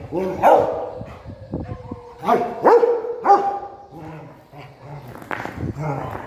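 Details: A Rottweiler playing with a stone gives short, gruff barks and yelps in quick bursts, with possible human voices mixed in.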